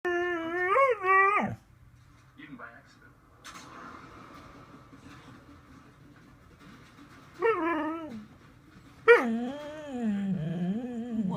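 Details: Pet dog indoors, upset that another dog wants to get on the bed, making drawn-out, wavering, talk-like whines and yowls in three bursts, the last one long and falling. A person asks what is wrong between bursts, and faint music plays.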